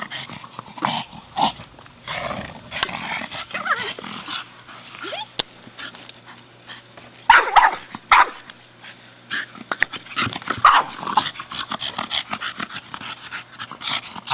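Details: A 4-year-old Staffordshire Bull Terrier named Brogan plays with his big hard plastic ball and gives sporadic short barks and huffs. A louder cluster comes near the middle, and a man's voice breaks in now and then.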